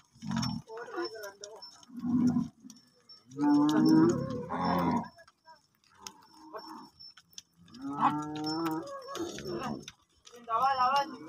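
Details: Cattle at a gaushala cow shelter, many cows and bulls together. Several low, throaty moos come in bursts, with longer harmonic lowing around the middle and near the end. Background music and people talking are heard between calls.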